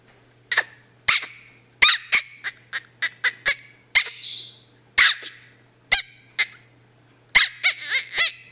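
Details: Female house dog protesting as her owner walks away: rapid squeaky high yaps in quick runs, some drawn into whiny rising notes near the end, with a faint low hum beneath.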